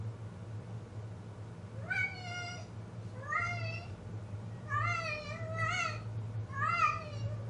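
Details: Domestic cat in heat calling indoors: four drawn-out, wavering meows, each rising then sagging, spaced about one and a half seconds apart over a low steady hum.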